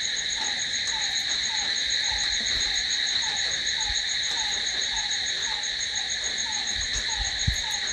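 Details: Steady nocturnal cricket trilling, shrill and continuous across several high tones, accompanied by soft downward-sliding chirps about three per second and a brief low thump near the end.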